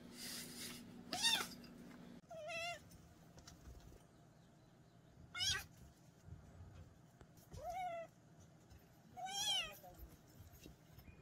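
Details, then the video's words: Rat-repelling meows of a mountain-village kitten: a loud scratchy noise opens, then about five softer, wavering meows follow every couple of seconds amid faint rustling and room hum. "고양이 울음소리 ASMR 시골쥐 퇴치용 효과"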